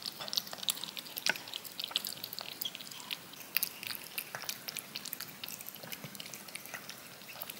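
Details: Yogurt licked off a spoon by a cat: scattered sharp, sticky clicks and wet tongue smacks, some louder pops among quieter lapping, with an uneven rhythm.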